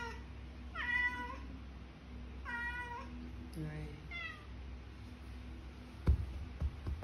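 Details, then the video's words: Malaysian cat from Kuala Lumpur meowing to wake its owner: three clear, slightly falling meows in the first half, then quieter rustling and a few knocks over a constant low hum in a small room. "Alarm Clock Cat Waking Up Owner"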